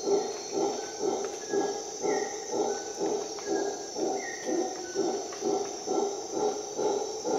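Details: At dawn in a Costa Rican jungle, a howler monkey gives low, coarse rhythmic roars pulsing roughly twice a second, with a constant high insect drone and brief clear whistled bird notes behind.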